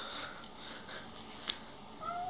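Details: Domestic cat in a compilation of jealous pet cats, indoors; soft, drawn-out meows through the clip, ending in a clearer falling cry near the close, with a sharp click midway and light room noise.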